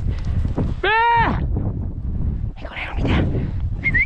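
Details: Podencos hunting rabbit. One clear, high, tonal yelp rises and falls over about half a second. A man urges the dogs on in Spanish, with rustling undergrowth around.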